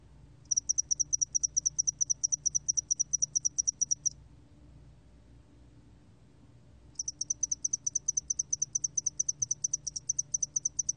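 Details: Spotted-wing hairy cricket producing two sustained trills of fast, regular, high-pitched pulses, each about four seconds long, with a silent gap of nearly three seconds between; steady faint low-frequency hum.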